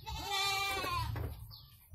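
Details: Goat in Indonesia giving birth to two kids, one long quavering bleat rising then falling over about a second, followed by a short softer note and a low steady hum.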